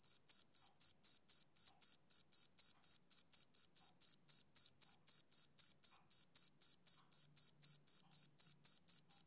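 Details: Continuous male cricket song of summer evenings: a rapid, regular series of shrill chirps, about four per second, each a brief ringing pulse, heard alone over a silent background.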